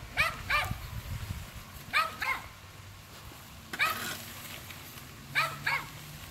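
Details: Alaskan Malamute running beside a bike before Halloween trick-or-treating, giving paired high yelping barks, two quick yips at a time, repeated every second or two, over rushing wind and bike noise.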